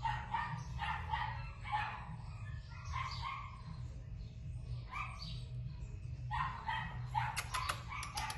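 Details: Female Keeshond puppy yapping in quick, high, harmonic barks, several per second in bursts, over a steady low rumble, with sharp clicking sounds near the end.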